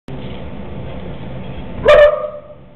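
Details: A dog gives a single short, loud bark near the end, after about two seconds of steady background hum.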